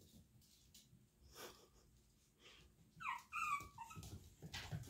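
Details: Young Chihuahua puppies of Daisy's litter, two still inside while two littermates hopped out, indoors: after quiet shuffling, a quick run of high, wavering whimpers arrives near the end, followed by scratchy movement sounds.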